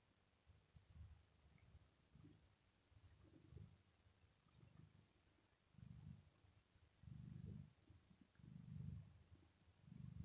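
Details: Domestic tomcat enjoying head caresses while resting on the floor carpet on a very hot day; deep, loud rhythmic purring in low throbbing bursts, repeated roughly every 1.3 seconds and growing stronger.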